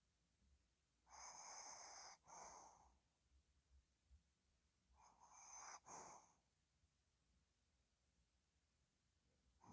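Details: Dozing dog Ddochi snores softly, two hoarse, airy two-part breaths about four seconds apart, separated by faint snuffling, then a calm stretch of near silence.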